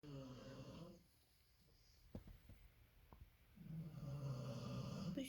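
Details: A sleeping female Labrador Retriever snores loudly in low, rumbling, rattling breaths while another tired Labrador rests nearby, with brief German speech.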